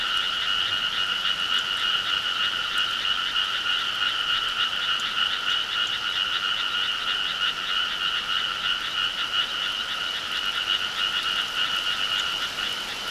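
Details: Many frogs croaking on a summer night in the countryside, a dense unbroken chorus of fast pulsed calls, about three per second, steady and loud throughout.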